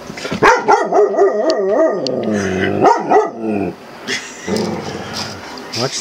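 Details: Male Australian Cattle Dog mix reacting to his own reflection in a mirror and camera lens: warbling, yodel-like howls and whines with wavering, rising and falling pitch for about three seconds, then quieter, with a man talking.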